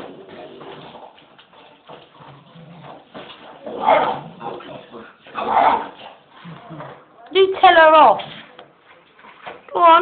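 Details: An English Bull Terrier pup at home gives a wavering, whiny grumble, as if telling off its mum (owner).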